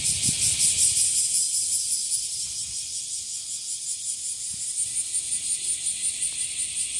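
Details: Bear cicada, known as washiwashi, singing in Japan: an intense, shrill, ratcheting buzz that starts loud and settles into regular pulses near three per second, with faint scattered low knocks.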